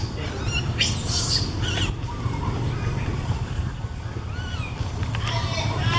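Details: Baby monkey calling out to its mother up in a tree, filmed with a Canon SX50HS camera: a burst of high, shrill squeals early on and a second thin squealing phrase near the end, over a steady low rumble.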